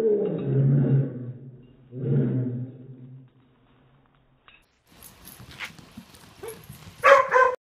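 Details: Pet dog giving two long, low rumbling growl-barks over about three seconds. After a pause come rustling noise, thumps and a brief voice.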